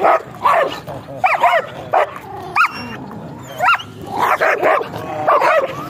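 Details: German Shepherd with a stock coat, sparse barks mixed with higher, arching yelp-like notes separated by quiet gaps of about a second, ending in a denser burst of barking.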